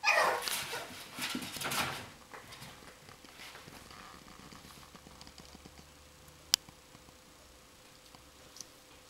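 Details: Coton de Tulear dog indoors while playing, giving a burst of short, high yips and whimpers over the first two seconds, then quieter scuffling and patter with a sharp click.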